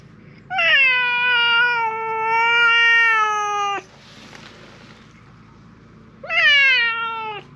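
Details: Loud meows from a silver tabby cat appealing for something, apparently a park stray: a long drawn-out harmonic meow of about three seconds, falling at the end, then a shorter descending meow after a pause.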